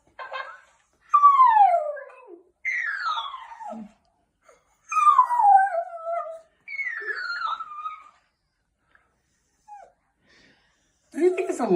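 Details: Jack Russell Terrier named Chopper, a pet dog indoors, worked up by a mimicking talking toy parrot. A run of drawn-out howls, each sliding downward in pitch, about five bursts separated by short silences, then a voice at the end.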